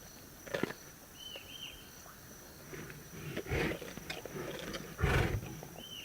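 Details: Lions feeding on a zebra carcass; two deep, rough growling bursts rise out of quiet rustling and chewing noises, while short whistled bird calls sound in the background.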